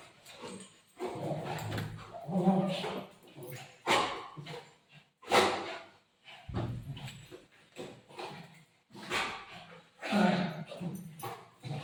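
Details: Golden Retriever greeting its owner during a surprise visit, giving excited whines and soft yelping bursts in uneven bouts, with human voices mixed in between.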